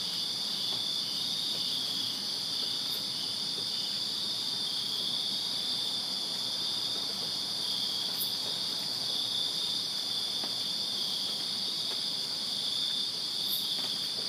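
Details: Backyard chorus of many crickets on a Virginia summer night, a continuous shrill ringing drone that holds steady throughout, with a few brief faint ticks sounding now and then.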